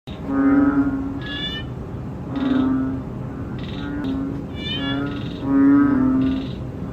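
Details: Banded bullfrog (ễnh ương) filmed in close-up, giving drawn-out nasal moaning notes about half a second long. Several calls overlap and repeat roughly every second, with higher rising tonal calls from other frogs mixed in.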